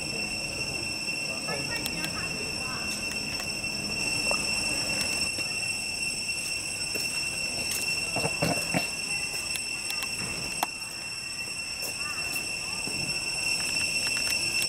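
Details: Cicadas in Cambodia fill the air with a steady, shrill, high-pitched drone, with faint voices and knocks underneath.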